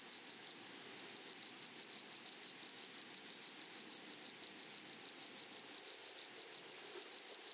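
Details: Chorus of grasshoppers in a flowery meadow, sharp high buzzy pulses repeated about three times per second in a fairly even rhythm over a constant insect hiss.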